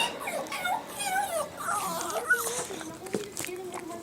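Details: Pet Chihuahua, a male, crying indoors with meow-like whines, wavering high nasal cries rising and falling in pitch, while a person talks to him soothingly.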